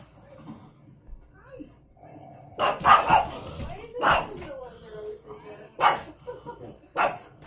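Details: Female pug reacting to her own videos on a TV, letting out loud, harsh barks in a short burst and then spaced singly, mixed with a person talking to her over quieter moments.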